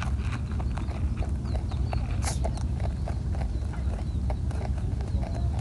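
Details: A plump, tame wild rabbit (European rabbit) on Okunoshima island, Hiroshima, eats pellets, making rapid dry crunching clicks over a low, steady rumble; a second rabbit joins.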